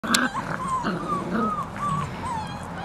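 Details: Five-week-old Bernese Mountain Dog puppies playing together in a yard: a run of short, high, tonal whimpering whines, each bending up then down, repeated roughly every half second over a murmur of background noise.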